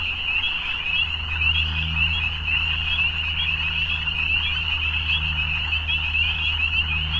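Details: Frogs calling together in the evening, their high continuous trilling chorus overlapping into one shimmering band, over a low steady hum underneath.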